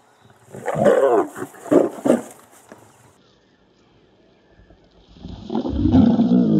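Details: Male and female lions in Kruger National Park, South Africa, as the male bites the lioness on her rump to entice her to mate; three loud, harsh snarling bursts within two seconds, a quiet gap, then a longer deep rasping growl.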